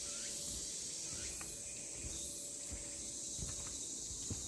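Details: Summer cicada chorus along the Deogeumsan Solbaram-gil walking trail in Namwon, Korea, 16 August 2019, a continuous hissing high buzz that swells in slow waves, with faint steps and rustling below.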